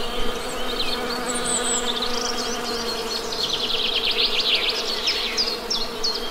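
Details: Honey bees give a steady, low droning hum with layered overtones throughout, while birds add quick high chirps and warbled twitters, thickest in the second half.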